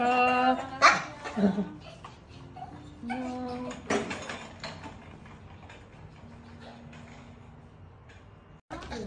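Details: Maltese Dubu, hospitalised two weeks after cruciate ligament repair and ovariohysterectomy, cries to go home: wavering high whines and abrupt yelps early on, then quieter whimpers under murmured human speech and a clatter at the end.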